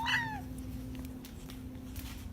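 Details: Domestic cat in a room letting out one short, loud meow that slides downward in pitch, then only a steady low electrical hum and faint background noise remain.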